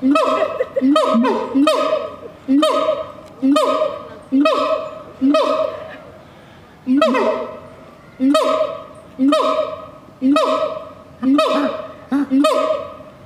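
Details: A siamang (Symphalangus syndactylus) gives loud, honking barks, repeated about once a second in a steady series.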